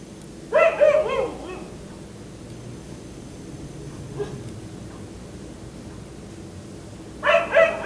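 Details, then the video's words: Black Labrador left outdoors into the night until 1am; a burst of wavering, whining barks opens, then near silence with faint yips, before two more barks close. "Dog barking until 1am"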